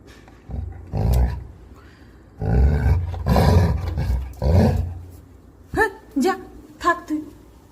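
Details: Angry pet Labrador Retriever named Coco gives low, throaty growls in several rumbling bouts, partly overlapped by a woman talking in Bengali, ending with a few short rising-and-falling vocal yelps.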